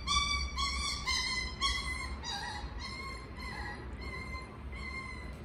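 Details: Miniature Schnauzer giving high, tonal whining cries in wavering sing-song bursts, about two each second, gradually softening toward the end over a low background rumble.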